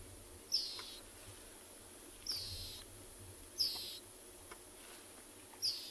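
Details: A dwarf mongoose, just caught by a young male, gives thin, high-pitched distress squeaks, each short and repeated every one to two seconds, on a morning safari drive in a South African game reserve, 3 August 2020.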